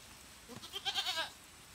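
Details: Goat at a goat fight giving one short, nasal, wavering bleat under a second long, with the voice rising and falling in small ripples over a soft background hiss.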